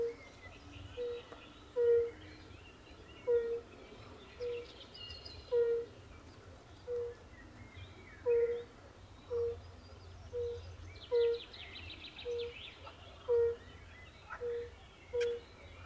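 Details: Chorus of fire-bellied toads (Bombina bombina) at a forest pond. About fourteen brief, pure, low 'oop' calls repeat at a steady pace over sixteen seconds. Scattered higher trills and chirps come from other frogs, over soft low rumble.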